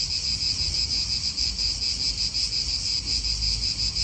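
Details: Italian park cicadas giving a high, even, pulsing buzz that throbs about four times a second, backed by faint wind rumble.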